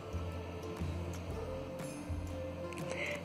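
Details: Steady background music with a little speech and no animal sound.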